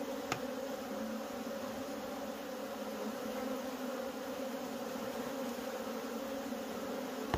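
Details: Many wild honey bees swarm as their honey is gathered. Their continuous, even hum stays loud and unbroken throughout, with sharp ticks at the very start and end.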